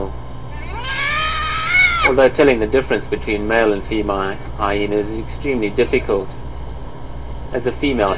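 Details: Hyena giving a drawn-out rising harmonic wail, then breaking into a rapid staccato series of short stacked notes that continue in uneven bursts to the end, with a constant low hum underneath.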